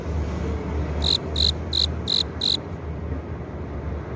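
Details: Male cricket chirping by rubbing its forewings to lure a female: a short burst of five bright high pulses, about three per second, then silence of the insect over low background hum.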